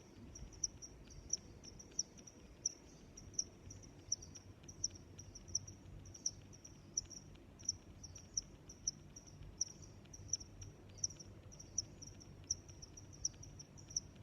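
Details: Steady high-pitched cricket chirping, crisp pulses spaced about every three quarters of a second, interleaved with a faint thin trill, low ambient murmur underneath.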